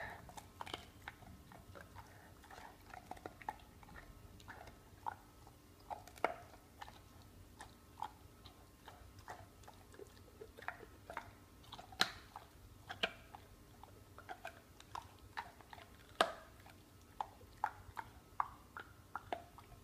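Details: Pit bull gnawing on a bone indoors in a small room, jaws producing many sharp clicking and crunching bites, irregular and dense throughout, with a faint steady low hum underneath.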